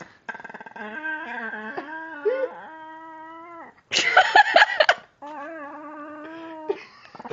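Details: Lucy, a 3-year-old pet Pekingese, makes silly noises while playing indoors: long drawn-out tonal moans held at a steady pitch, some dipping and rising, broken by a brief harsh rasping burst before the moaning resumes.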